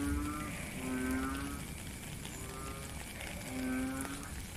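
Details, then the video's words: Frogs in the rain, recorded in nature: three low, droning, nasal calls with rich overtones, each under a second long and spaced unevenly, set against a continuous wash of rainfall. "Frog and Rain"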